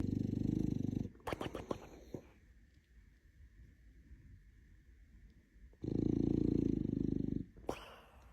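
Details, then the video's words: Sleeping dog snoring: a deep, rumbling breath lasting about a second, then a quiet stretch with soft clicks and rustling, then a second long, low snore around six seconds in, followed by a sharp click. "Snoring Dogs"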